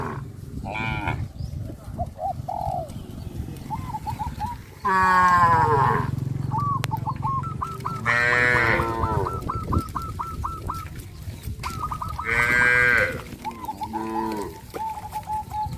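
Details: Herd of cows walking towards the grazing field under the hot sun; several moos of varied pitch, some long and harmonic, over a steady low rumble, with a rapid repeated high chirping call running through the background.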